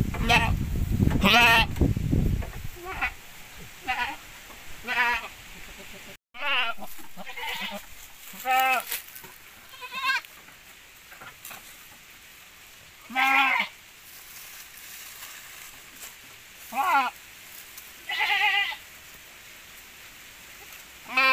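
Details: Javanese goats crossbred with Boer: a person talks briefly over rumbling noise, then a long series of quavering nasal bleats, some faint and some loud, comes at irregular intervals of one to three seconds.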